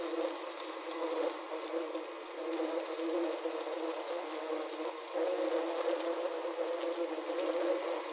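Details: Wasps trapped inside a wasp trap, recorded with a Zoom H6 and a Korg CM-300: a steady, dense droning buzz of overlapping low tones with scratchy patter, swelling louder around the fifth second and holding through to the end.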